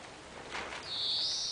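A springer spaniel puppy gives a thin, high, drawn-out whine that rises slightly toward the end.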